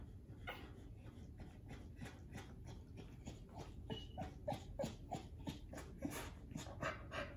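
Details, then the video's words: Pit Bull/Bully female giving birth to her first litter, kept in her crate indoors while a newborn puppy tries to nurse; rapid breathy panting in broadband pulses about three per second, with faint short squeaky notes in between. "Pitbull/Bully giving birth"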